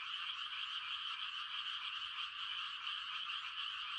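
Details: Frogs calling on a quiet country night, rice-planting season: a dense, continuous chorus of many overlapping trilling croaks forming a steady wall of sound with no gaps.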